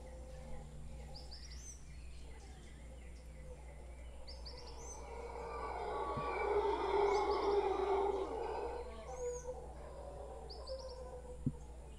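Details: Howler monkeys, a big troop gathered in a tree in Guanacaste, a hoarse, breathy roar that swells over several seconds and then ebbs, while small birds give short repeated high chirps.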